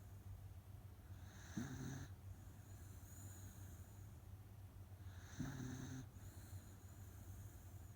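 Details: Otofu, a rescued Miniature Dachshund, deep asleep and likely tired, gives loud snores: two rasping, nasal snore breaths about four seconds apart, each lasting roughly half a second, over a steady low hum.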